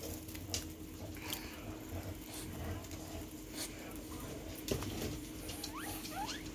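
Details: Domestic guinea pigs playing with a ball; pattering and bumping movement sounds throughout, then a few short rising squeaks in quick succession near the end, over a steady low hum.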